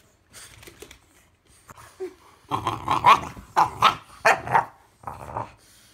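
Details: A 2-year-old female French bulldog trades harsh growls and sharp, snorting barks in clustered, irregular bursts with brief pauses, squabbling with her 4-month-old English bulldog puppy brother.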